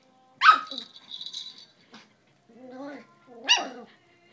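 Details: An eight-week-old male Miniature Schnauzer puppy playing with toys while urged to "get him" gives a sharp high yip, a low rising whine, then another bright bark.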